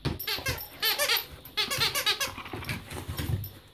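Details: A rescued Hungarian Vizsla female plays at fighting with a much smaller dog indoors; rapid squeaky yelps and whining growls come in quick pulsed bursts, with scuffling and soft thumps between them.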